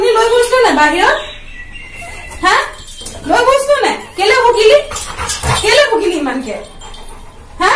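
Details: An 11-month-old Labrador Retriever arguing back with its owner at the top of its voice: drawn-out, swooping whines and howl-like moans that rise and fall in pitch, in a small indoor room.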